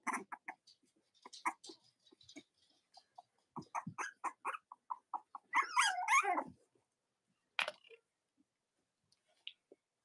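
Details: Cavalier King Charles Spaniel puppies of Robin and Myra, kept indoors with their nursing mothers on a chilly Monday morning in the US; rapid short whimpers and squeaks, then a wavering high whine lasting about a second.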